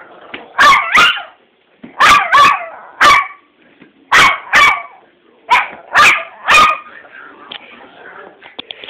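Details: A pet dog making a strange sound: paired sharp yelping barks repeated in groups about every one and a half seconds, each pair rising and falling, fading into softer whines at the end.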